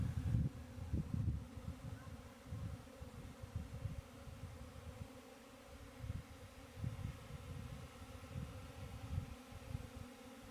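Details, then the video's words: Continuous droning hum of honey bees, overlaid with intermittent low rumbling bursts and knocks that come and go across the recording. "honey bee"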